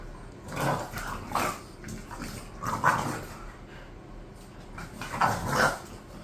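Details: Two pet bulldogs, Khan and Ali, bored at home, giving a handful of short whiny vocal bursts, about five spread across six seconds, each a brief nasal squeal between quieter stretches of room noise.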